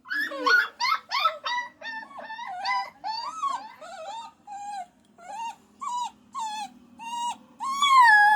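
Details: A puppy whines loudly and rapidly, about a dozen short yelping whimpers in quick succession, rough at first and then clearer and bending downward, ending in a longer rising wail.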